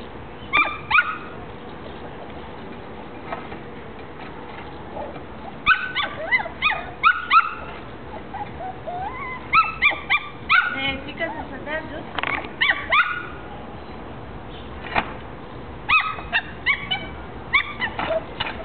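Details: Angry one-month-old female Jack Russell Terrier puppy in Bucharest, Romania, yapping in short high-pitched bursts, clusters of quick sharp barks and whiny yelps separated by brief pauses over a steady background hiss.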